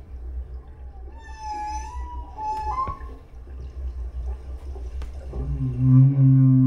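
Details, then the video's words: Solo male humpback whale singing at the Silver Bank in 2015, recorded underwater on a GoPro; song sung by males to woo females. Rising tonal whistles and wavering moans over deep low rumbling, ending in a loud low groaning unit. "here's just the whale song from the GoPro"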